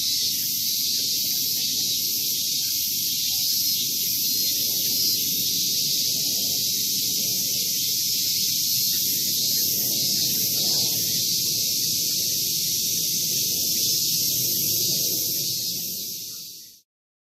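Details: Male min-min cicada calling in August 2019; only males sing, reportedly to tell females where they are. A dense, steady high buzzing shrill holds for the whole stretch, pulsing about three times a second, over a faint low rumble, then stops abruptly.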